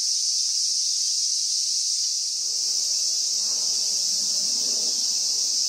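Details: Late-summer cicada song, 19 August 2020, a constant piercing high drone with a faint low rumble of background noise rising midway through.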